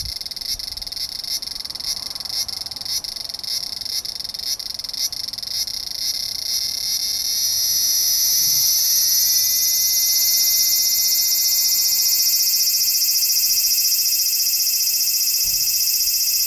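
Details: Large brown cicada recorded on 3 September 2015: a throbbing, pulsed sizzle for about seven seconds that swells into a louder, continuous hissing drone with a steady high whine.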